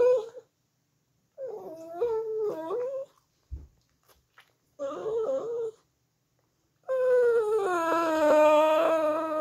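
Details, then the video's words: Shih Tzu dog singing indoors: wavering, tonal howls that rise and dip in pitch, delivered in three bouts separated by short silences, the final bout the longest and steadiest, with a brief knock between bouts. "Shih Tzu Singing"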